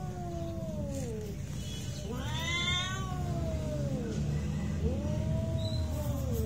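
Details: Domestic cats fighting: long drawn-out yowls that rise and then slide downward, overlapping wails from more than one cat, with a low steady rumble of background noise underneath.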